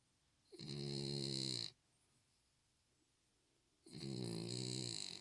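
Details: Chyongi, a pet Spitz now back in good health, snoring indoors: two long, rasping breaths about three seconds apart, each lasting just over a second, with a quiet pause between.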